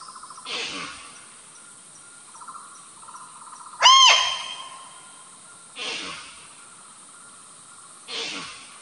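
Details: Barking deer (Indian muntjac, Muntiacus muntjak) in the forest of Kawah Ijen crater, Java, gives short, harsh barks spaced a few seconds apart, with a steady insect hum behind.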